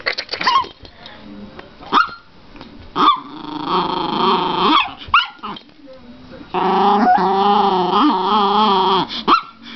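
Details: Pet female Chihuahua in excited play, pretending to be vicious as a hand slowly comes toward her; long, wavering, nasal growls and whines, with short yips and a person's voice between them.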